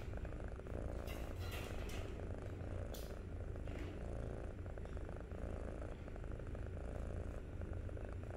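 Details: Steady, rich purring from a young kitten on day 63, a dense low rumble with a few quick rustling clicks early on.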